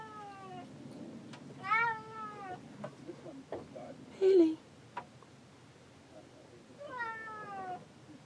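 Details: Cat stuck inside a boat cabin, meowing to be let out to supervise men working outside on deck: three long, wavering, slightly falling meows spread apart, with a short sharp squeak and faint background rustling between them.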